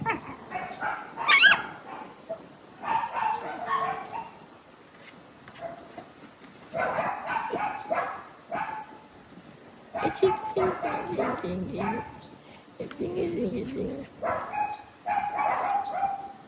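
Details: Poodle puppy trying to escape from a box, giving bursts of short, high, yappy barks in clusters, several seconds apart, mixed with a person's speech and laughter.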